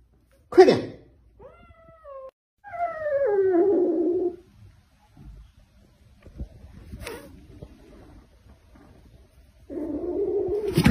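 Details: Male pet cat at home giving several drawn-out meows: a thin, high, rising-then-falling mew, then a longer, louder descending meow, and after a quiet stretch with soft knocks and rustles, a lower, drawn-out complaining meow.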